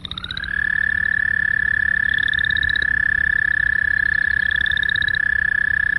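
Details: American toad giving a long, loud, monotone trill, a steady unbroken buzzing tone held at one pitch for the whole six seconds after a brief rising start, with fainter higher-pitched trills of other frogs pulsing behind.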